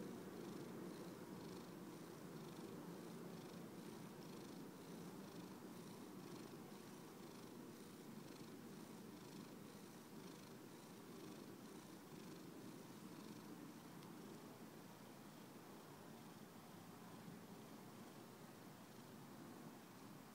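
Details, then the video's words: Simon the cat purring steadily and quietly throughout, a low continuous rumbling purr with a soft even pulse of several beats per second and no other clear sounds. "Simon purrs"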